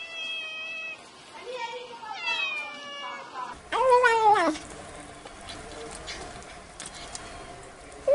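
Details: Kitten. A kitten meows repeatedly in high, thin, tonal cries, some short and some drawn out with a rising then falling pitch. The loudest meow near the middle is a wavering, strained wail.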